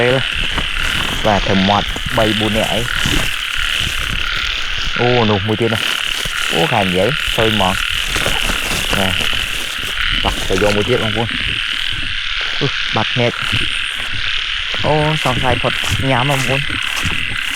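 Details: Frogs calling after the first rain at the start of the year while being caught by hand in Cambodia: deep, harmonic croaks in bursts of quick repeated pulses, several callers overlapping, over a steady insect buzz.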